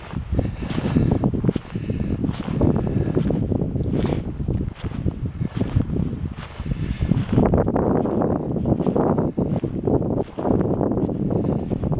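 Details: Footsteps crunch through deep fresh snow after a blizzard in central Maine, with steady wind rumble and rustling noise throughout.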